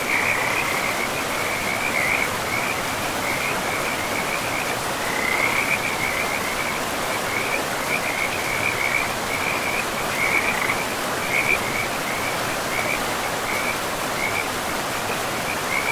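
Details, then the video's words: A riverside frog chorus in a pristine forest, the high chirping croaks coming in quick bursts with brief gaps throughout, while the river's steady rushing noise fills the background. "River and Frogs sleep sounds"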